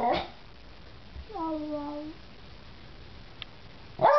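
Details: Beagle singing with a little persuasion: one short, soft, steady tonal howl with a slight downward slide, framed by brief human voices at the start and end in a quiet room.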